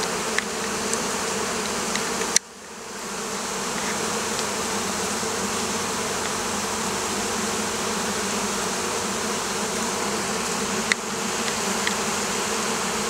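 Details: Vespa orientalis, the Oriental hornet, around apiaries of the Campanian plain in southern Italy. Continuous thick buzzing hum from many wings, broken by an abrupt dropout early on, then steady droning with a faint click late in the recording.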